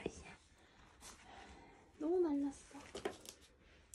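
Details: Weak rescued kittens, found clinging to each other and fading, on the way home from a family funeral; one short arched meow rises then falls over half a second amid faint whispering and room rustles.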